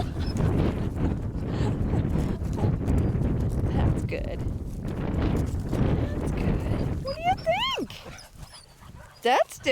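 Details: Bold, happy puppies on their first ramble outside the pen, exploring the grounds and getting their feet wet at a pond. Rustling and talking fill the opening seconds, then a few high, bending whimpers and yips break out near the end.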